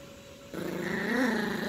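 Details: Young Yorkshire Terrier growling in play while tugging at a toy: after a quiet start, a rough, wavering growl sets in and grows louder, its pitch briefly lifting and dipping, ending in a sharp noise.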